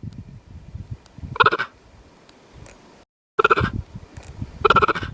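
A cheetah gives short, high, bird-like chirps, repeated a few times over low rumbling background noise.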